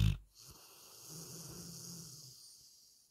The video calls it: 잠이 오지 않으신다면 리트리버 루씨의 코고는 소리를 들어보세요 ^^